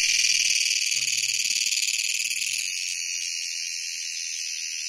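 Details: Cricket (ratkida) calling in dense forest on the way to Vasota fort: a loud, continuous high-pitched metallic trill with rapid even pulses, steady throughout and fading slightly, with a brief spoken voice at the start.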